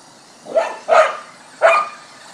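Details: Border Collie barking while chasing a remote-control car: three sharp, mid-pitched barks spaced about half a second apart, the last after a short pause, over low background hiss.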